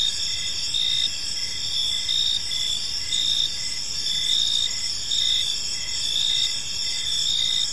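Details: Evening park crickets: a bright, continuous trill with short pulsed chirps repeating about once a second, many insects overlapping into a steady high drone.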